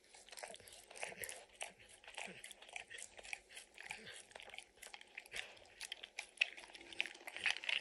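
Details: Max the dog licks peanut butter and picks kibble from an orange mat. Bursts of moist lapping clicks alternate with short pauses, growing denser toward the end.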